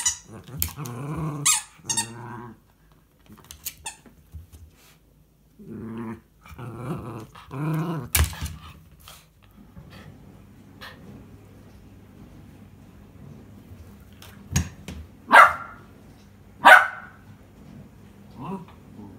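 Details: Pet Miniature Schnauzer indoors, ordering someone to throw its ball: clustered, harmonic, growly grumbles and whiny half-barks through the first eight seconds, then a quieter stretch broken by a few sharp knocks and squeaks.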